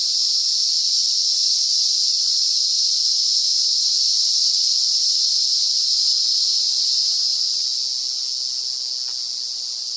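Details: Zammara tympanum, the emerald cicada, singing at the RPPN Corredeiras do Rio Itajaí in Itaiópolis, southern Brazil: a continuous shrill buzzing drone that softens slightly near the end.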